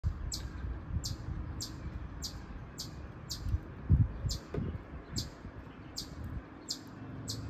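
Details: A noisy chipmunk gives sharp, very high chips in a steady series, roughly two or three each second, over a low outdoor rumble with a few soft knocks.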